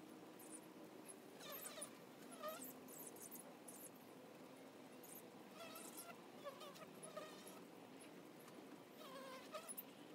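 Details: Honey bees at the entrance of a hive: a steady low droning hum with overlapping, shifting buzzy tones as individual bees fly past, plus scattered short crackling bursts throughout.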